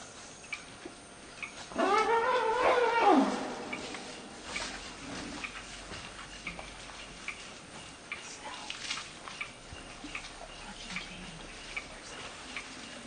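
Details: Elephant calf Penny, a young female woken in the bai and kicked and harassed by the adult female Circe, screams to bring her family to drive Circe off: one harsh, wavering, richly harmonic scream of about a second and a half, then quiet insect-like ticking.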